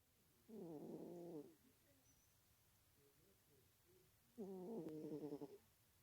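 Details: A sleepy female domestic cat snoring: two harmonic, buzzy, rattling breaths about a second long, roughly four seconds apart, with quiet pauses in between.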